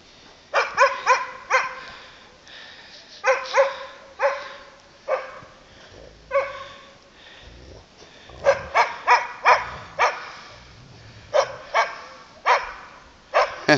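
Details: Landseer Newfoundlands Sadie and Thor playing at Cleveland Dog Boarding: bright, harmonic barks fired in quick clusters of two to four, with short pauses between bursts, some softer yelps mixed in, indoor room echo.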